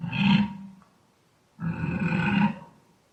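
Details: Wild boar giving two deep, rough grunts, each about half a second to a second long, separated by a short pause, with a low throaty rumble and harsh upper overtones.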